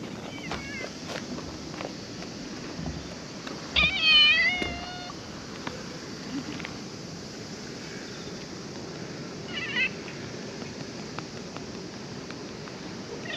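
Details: A cat at a ferry terminal, with ferries cancelled, comes up to be petted. It gives a clear, harmonic meow near four seconds and a second, shorter meow near ten seconds over a steady outdoor background hiss.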